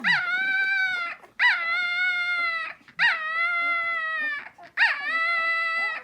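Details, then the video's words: Hungry puppies waiting for their mother whine in long, steady, high tonal cries with rich harmonics, four drawn-out calls each about a second long, separated by brief gaps; no other sounds stand out. "Some puppies are making noise"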